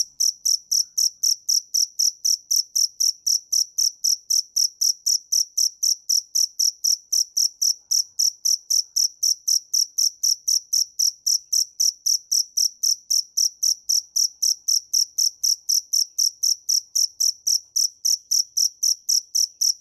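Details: High, ringing cricket chirps pulse continuously at close to four a second for twenty seconds, strong and regular, with no other noise.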